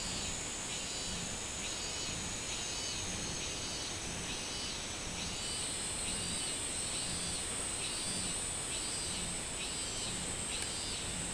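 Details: Minmin cicada calling on 24 July 2016 in summer: a steady run of arched, buzzy pulses repeated about once a second, over a constant high insect hiss and faint low rumble.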